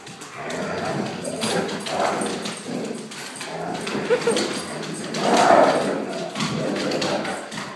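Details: Pet Akitas at play with their friend, a German shorthaired pointer; harmless play talk, not aggression. Rumbling growl-like vocal bursts rise and fall across the clip, swelling loudest near the middle, with human speech mixed in.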